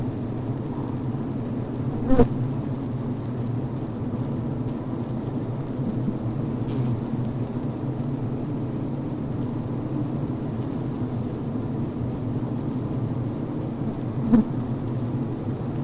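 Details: Steady low buzzing drone of honey bees inside a healthy hive at the brood frame, with workers venting, beeping and building comb; two sharp clicks stand out near the start and end above the continuous hum.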